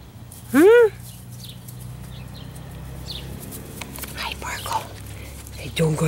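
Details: Speckle, a female Italian Greyhound, intensely fixated on squirrels outdoors and jumping at a four-foot fence, gives one short high whining yelp that rises and falls, followed by quiet rustling and soft human voices.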